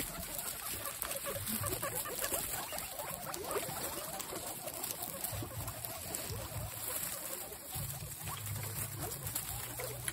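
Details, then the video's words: Excited guinea pigs in a group, giving rapid, irregular little squeaks and chatter over soft rustling, with a constant low droning hum in the background. "Exited Guinea pigs make noises"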